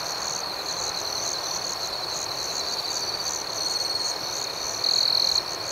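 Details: Nighttime cricket chorus, a continuous shrill ringing with rapid, evenly pulsed chirps on top. One nearby cricket breaks in with a short, louder trill just before the end.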